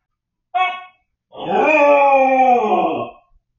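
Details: Siberian Husky puppy left home alone indoors, yelling in distress after its owners went out: a short harmonic yelp, then a long wavering howl lasting nearly two seconds, rising slightly and falling at the end.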